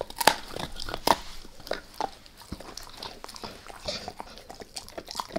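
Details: Max the dog bites at a beef rib, giving two sharp loud cracks early on, followed by lighter irregular gnawing clicks and wet chewing about once a second.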